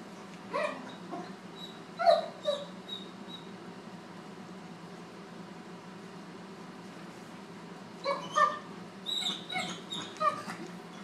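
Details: Draper, a Great Dane puppy of about four months, with his new sister Lucy; two clusters of high whining yelps, one early and one near the end, separated by several seconds of quiet hum.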